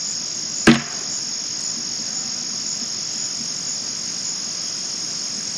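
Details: Night-time crickets recorded in 2022, only males chirping: a continuous shrill, even trill runs the whole time, interrupted early by one sharp, loud knock like a hammer blow that fades quickly.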